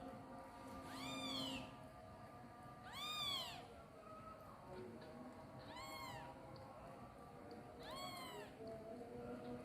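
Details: Kitten crying for its mother while pooping, four high arched meows spaced about two seconds apart, heard through a dense bed of background noise and steady tonal hum.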